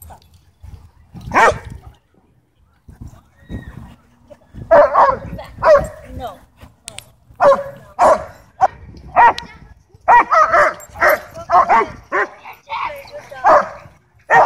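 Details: German Shepherd at a dog park, territorial and aggressive over toys, demanding the ball with barks while Bodhi barks back playfully; scattered sharp barks come in bursts, building into rapid runs after a quiet start, with people talking.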